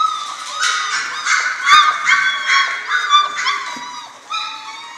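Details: Litter of German Shorthaired Pointer puppies aged six weeks giving dense, overlapping high-pitched whimpers and squeaky yelps, rising and falling, with a few faint knocks.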